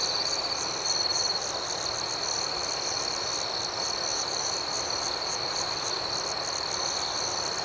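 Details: Dense cricket chorus at night: a shrill, steady tone with rapid soft pulses layered above, slightly louder during the first second, with no other voices.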